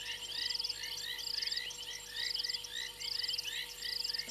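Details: Frogs on a fallen tree limb at Gowrie dam waterhole, Djuma Game Reserve, Sabi Sand Wildtuin, South Africa, 28 January 2022 at 02:07. A dense chorus of high rattling trills repeats roughly every second over many overlapping rising chirps and a steady low hum.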